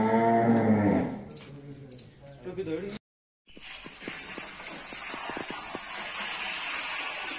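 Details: Cow at the Majari ashram gaushala (cow shelter) in Jhunjhunu, giving one loud, steady, low moo about a second long. Quieter human voices and clatter follow, then a short gap and a hissing, knocking background.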